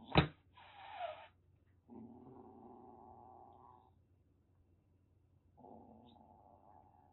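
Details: Rescued calico kitten Aki, about six weeks old, in a threat display at a home in Kagoshima, Japan: a loud knock, a harsh spitting hiss, then a steady low growl lasting two seconds, a pause, and a second drawn-out growl.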